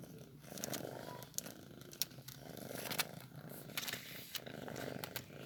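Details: Newborn kitten being fed milk, a soft continuous low purring rumble with scattered sharp clicks and small smacking noises throughout, recorded indoors at close range.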